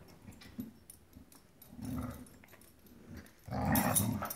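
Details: Dogs playing rough over a rope toy: low rumbling growls rising and fading in waves, quieter at first, then a louder harsh snarl toward the end.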